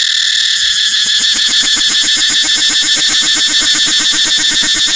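A cicada's loud, steady buzzing drone with a fast pulsing rhythm underneath.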